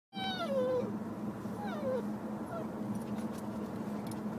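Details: An 8-week-old female Siberian husky puppy on her first car ride, howling for the first time, gives thin, high, falling howls over a steady engine hum.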